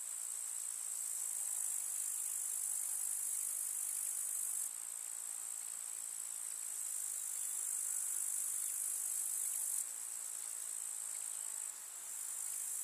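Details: Grasshoppers chirring in a rural summer meadow of wildflowers: a constant shrill, buzzy trill high in pitch, with several abrupt level changes as overlapping insects switch on and off.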